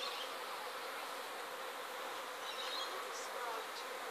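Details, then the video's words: Honey bees swarming from a hive in Sydney in 2012: a dense, steady buzzing hum spread broadly across mid and high pitches, continuous without pause for the whole stretch, with no other clear sounds. "bee swarm 2012"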